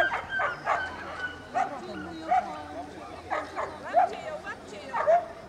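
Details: Racing Salukis at the Polish championship in Bytom on 19.09.2015, Fifi, Luna and Zula among them: scattered high yelping barks about once a second, interleaved with nearby human chatter and crowd noise.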